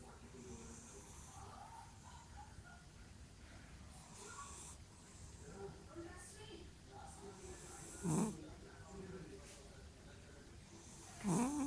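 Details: King Julian, a cat, snoring in sleep: quiet, irregular rasping breaths, then two louder snorts with a rising pitch near the end, over a faint background hiss.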